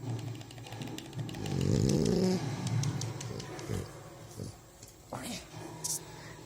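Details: French Bulldog asleep, snoring and rubbing its muzzle in its sleep indoors; a deep, rumbling snore swells for about a second, followed by softer snuffling breaths and small clicks.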